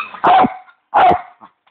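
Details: Bichon dog at play with his squeaky toy bone gives two short, sharp barks about two-thirds of a second apart, each a bright tonal yelp, followed by a faint trailing squeak.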